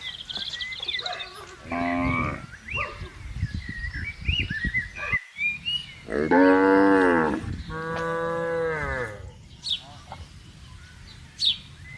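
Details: Dozens of cattle wandering and grazing on open green grassland; two long moos in the middle, the first loud and falling, amid short grunts, thumps and birdsong chirps.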